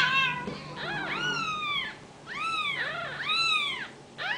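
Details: Ragdoll kittens born and raised indoors at a home cattery in central Kansas, calling in overlapping high, arched meows, several voices at once with brief pauses between bursts.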